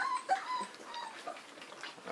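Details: Three-week-old St. Bernard puppies from Olivia's litter at a breeding kennel, nursing and being bottle-fed indoors; short high whimpering yips that rise and fall, with a soft thin cry near the start, in a small room.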